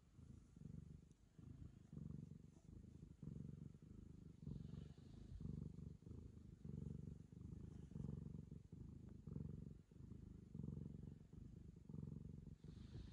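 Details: Ragamuffin cat purring while licking a girl as a sign of affection; low rumbling purr in steady pulses roughly every three-quarters of a second, rising and falling with each breath, with faint rustling in the background.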